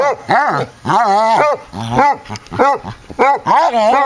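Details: Two Basset Hounds playing indoors, an eight-year-old rescued male foster dog and the resident basset: loud, drawn-out, wavering baying barks with rising and falling pitch, about six in four seconds, with brief gaps.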